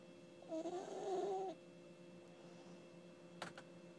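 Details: A single wavering, whistled snore from Ginny, a sleeping puppy, lasting about a second, followed by quiet hum and two soft clicks near the end.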